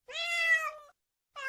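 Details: Domestic cat giving a single bright meow lasting under a second, steady then drooping slightly in pitch at the end, followed by a short pause and the start of a second meow.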